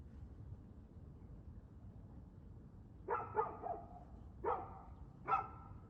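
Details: A dog barks in the early evening, 6:02pm, 2/6/2024: after a quiet stretch comes a doubled bark, then two single loud barks roughly a second apart, with faint low background noise throughout.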